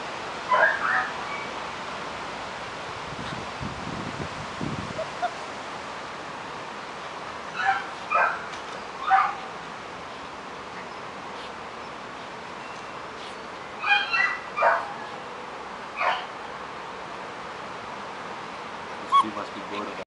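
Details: German Shepherd puppies, a 5.5-week-old litter playing in a garden; brief high yips and whimpers come in scattered clusters, two or three at a time, with a low rustle early on and otherwise quiet background.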